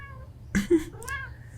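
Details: Domestic cat, called a cute kitty, indoors: a short, tonal, harmonic meow that falls in pitch, after a soft earlier cry and a sharp thump.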